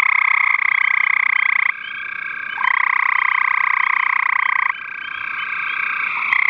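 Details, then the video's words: Gray tree frog vocalizing on 5/7/13: loud pulsed trills that alternate between closer and softer callers in blocks of one to three seconds, forming a dense, rapid rattle. "Vocalizing Gray Tree Frog"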